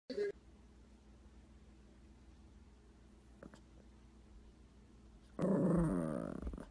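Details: A Maltese dog gives a short yap, then a longer, harsh, growly bark after a quiet pause.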